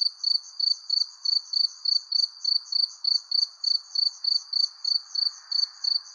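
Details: Sunset cricket chorus under a persimmon tree: each chirp is a quick cluster of high, trilled pulses, repeated about three times a second in a regular beat over a faint lower hiss.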